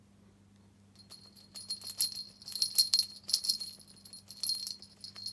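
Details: High metallic jingling and rattling, like a bell or rattle toy being shaken in bursts, over a low steady hum in a small room; no animal voice is heard.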